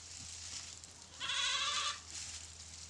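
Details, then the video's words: Pateri goat with four kids, a single loud, quavering, nasal bleat lasting under a second, preceded and followed by quiet background hiss and a low steady hum. "BAKRI ki awaaz"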